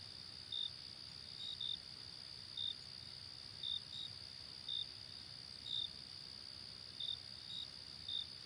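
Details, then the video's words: Summer night outdoors with crickets: brief high-pitched chirps spaced irregularly, roughly one per second, sometimes doubled, set against a constant shrill hum and soft low-frequency ambient noise. "Night Ambience Outside Cricket Summer"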